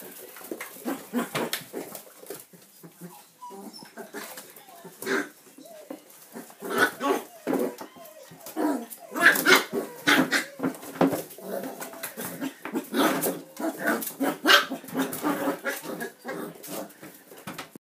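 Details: Manchester terrier puppies playing and having fun, giving short, sharp yips and barks in irregular bursts, roughly seventy a minute, some louder and some softer, over a quiet room background.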